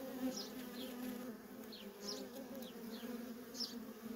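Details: Worker honey bees at a feral colony in continuous flight traffic, a softer background hum with several high, quick descending whines from bees passing close, repeated roughly every half second.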